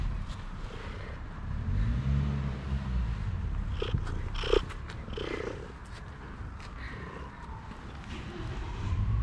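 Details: Smoky calico female cat, timid at first, purring once she came to trust a person: a deep, continuous rumbling purr with gentle pulsing, overlaid by soft rustles and a few light clicks.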